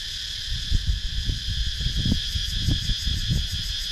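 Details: Wooded countryside in Sakon Nakhon, Thailand, where cicadas keep up a constant high shrill, recorded on a GoPro Hero 9, beneath rumbling, gusty low-pitched noise that rises and falls.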